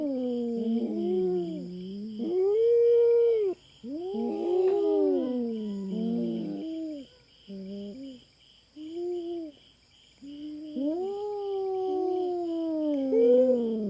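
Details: Intruding feral cat fighting over territory with a black cat on a Philippine farm: irregular run of wailing, wavering yowls and shorter moans, loud and sustained, with a constant buzzing insect chorus in the background.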